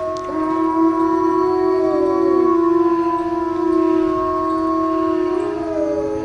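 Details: Group of howling wolves, several drawn-out voices overlapping, some gliding downward and others rising near the end, forming a dense layered chorus without pause.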